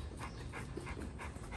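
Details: Golden Retriever Goldie, called away from rough play with another Golden Retriever; rhythmic breathy panting, about five pants per second, over low background rumble.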